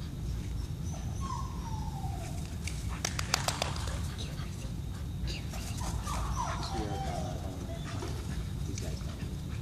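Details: Puppies playing together during recess, giving short rising and falling whimpers and yips around two and six seconds, with clicks and scuffling over a steady low rumble.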